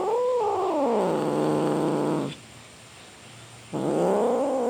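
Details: Domestic cat giving long drawn-out meows with a wavering, harmonic tone, falling from a high start and lingering low, a pause, then another rising meow; steady faint background hum.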